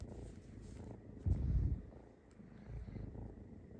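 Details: A male Egyptian Mau kitten chirps, combining meows and purrs into a low, rumbling purr-chirp that swells briefly and then fades.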